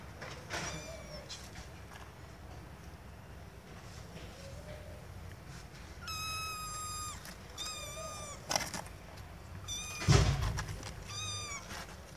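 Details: Small kittens seeking their owners' attention give scattered short high meows, a few faint ones early and a clearer cluster in the second half, with knocks and handling noise breaking in.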